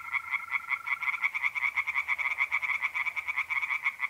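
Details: Pond tree frogs calling by night in mid-April, North-East Italy: rapid grating pulses in a continuous chorus, while a steady mole cricket trill sounds during the first second.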